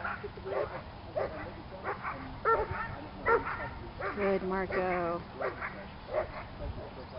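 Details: A Doberman's first time on a club protection training field: sharp barks come in short bursts, mixed with people talking and a steady low hum in the background.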